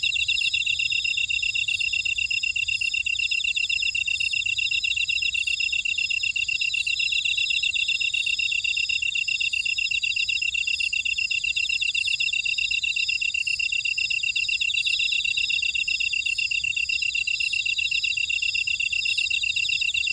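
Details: Grass insects in a Jeju buckwheat field, Ora-dong, South Korea, sing in a dense, constant chorus of shrill trills and buzzy pulsed chirps, while a very high tick repeats about every two seconds.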